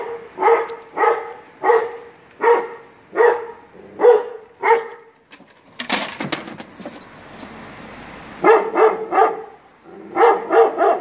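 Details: A young Kangal gives deep, harsh barks in quick runs, answering the barking of neighbouring dogs.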